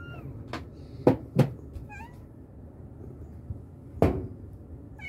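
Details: Mother cat calling her kittens with a few short, faint meows near two and five seconds, nearly hidden beneath loud knocking and thumping sounds in a quiet indoor setting.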